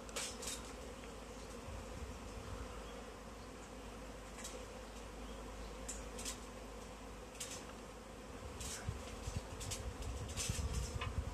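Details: Honey bee swarm that has settled in a tree, being collected into a bag: a steady, low droning hum runs throughout beneath heavy low rumble, with scattered sharp clicks and knocks.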